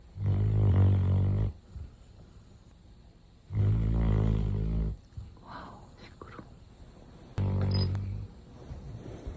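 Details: Large Retriever dog asleep indoors, snoring loudly in long, deep, rumbling breaths about four seconds apart, each roughly a second and a half long, with quiet gaps between; a woman's voice murmurs in a lull.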